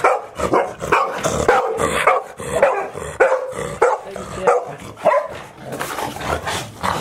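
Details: Puppies of the dog Chiro, 183 days old, at Ain village, filmed 25 October 2018 as littermates visit. Rapid, irregular mid-pitched yaps and barks, overlapping, roughly two per second throughout, with no quiet gaps between bursts.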